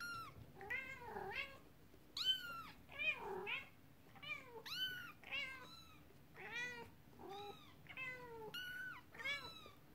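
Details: Domestic cats indoors, a mother cat upset while her kittens play with their first toy, a horse-drawn carriage; a rapid run of about ten high, arching meows, some rising then falling, others dipping, with a faint steady hum behind.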